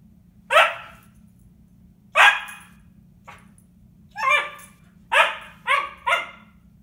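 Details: A female Siberian Husky puppy talks to herself in bursts of short, bright, harmonic yips and wobbling, chatter-like whines in uneven clusters, with several quick ones near the end, over a low steady hum.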